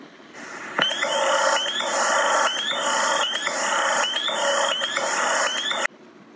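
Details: Spring peeper (Pseudacris crucifer), a very tiny frog with a dark X on its back and one of the first frogs heard as it warms up in spring, gives high, clear, upslurred peeps about once a second over a background chorus of calling toads.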